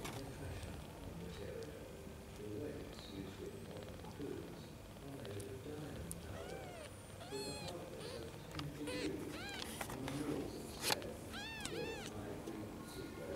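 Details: Young kittens that have just opened their eyes, held and sleeping in hands indoors, give thin high arched mews, several in quick succession in the second half, over a soft background of human voices and room noise.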